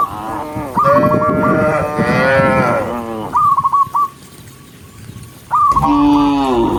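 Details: A herd of tame cattle walking together along a countryside path at sunset give deep, drawn-out moos one after another, with a rich harmonic tone, calling other cows home; human voices are nearby.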